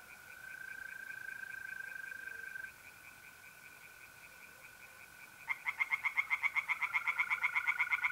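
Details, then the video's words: April night at a pond in north-east Italy: mole crickets trill steadily, then tree frogs break in with a fast run of regular, rasping pulsed croaks for the last few seconds. "relaxing singing tree frogs in pond"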